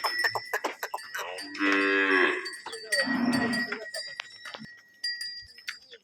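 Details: Khillari cow offered for sale in Maharashtra, giving a long, low moo that swells and fades over a steady ringing cowbell, with people speaking Marathi nearby.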